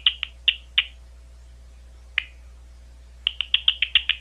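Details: Big brown bat (Eptesicus fuscus) giving short, sharp chirping pulses, some in quick bursts, with pauses between, recorded at three locations on Ohio State University.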